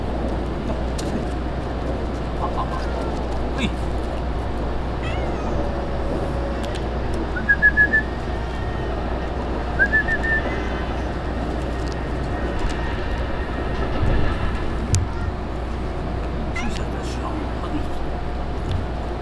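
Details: Stray kittens in a colony of ear-tipped sakura neko cats, fed by a man on spread newspaper; two short, high, bending meows sound a few seconds apart, over a steady low rumble of traffic-like noise with faint voices.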